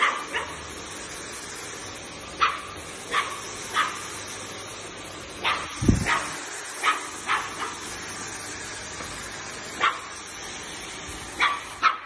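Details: Playful Dachshund puppies, or sausage dogs, give short, sharp, high yips and barks, about fifteen in twelve seconds at uneven gaps, with one dull low thump partway through.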